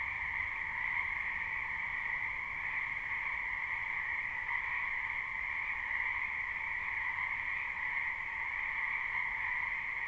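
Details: Many frogs calling together from a wetland behind a home during spring, captured live: a constant, even chorus of overlapping trills, a bright higher tone layered over a lower one, steady for the full stretch.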